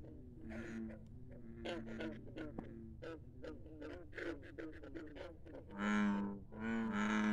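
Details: Pond frogs calling at midnight in the countryside: a busy run of short, twangy croaks from several animals, ending with two loud, long, deep droning croaks.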